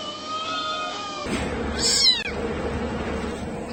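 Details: Cats and kittens meowing: steady tonal sounds give way to a short, bright, falling meow about halfway through, over a background hum.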